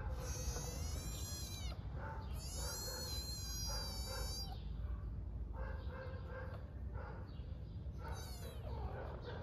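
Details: Hungry kitten on an Istanbul street calling for its mother cat with loud, drawn-out, bright meows, two long ones close together and a short one later, with Turkish speech and low traffic-like rumble in between.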